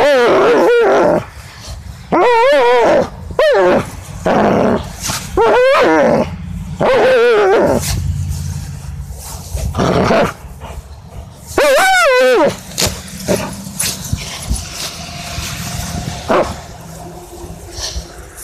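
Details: German Shepherd named Jager making loud noises during tug play: strained, wavering whine-like growls with rising and falling pitch, in bursts around 1.5, 2.5, 5.5, 7 and 12 seconds, separated by quieter rumbling and household noise.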